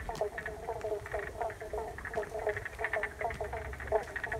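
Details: Frogs calling in the wetland of Paringa Paddock National Park, South Australia, recorded on an iPhone after water was let in for rejuvenation; a dense chorus of short repeated pulsed notes, several callers overlapping, with faint low rumble beneath.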